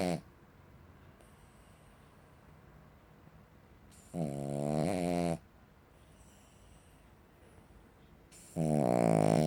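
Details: Snoring Cavalier King Charles Spaniel, compared to a chainsaw: rough, vibrating low snores lasting over a second each, spaced about four seconds apart, with soft background hiss in the gaps.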